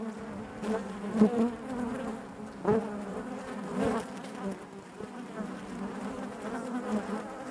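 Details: Steady droning hum of honey bees inside a hive, a low buzzing bed layered with wavering higher tones, punctuated by a few louder swells and short ticking sounds as individual bees pass close.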